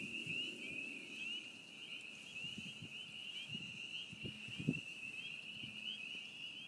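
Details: Loud chorus of spring peepers at a beaver pond in springtime: countless piping notes blend into a continuous high, shrill whine, with faint low knocks and rustles underneath.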